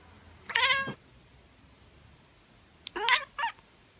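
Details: Tabby cat making two chirping calls: a bright rising-falling chirp, a pause of two seconds, then a stuttered double chirp with a short trailing note. The background is quiet.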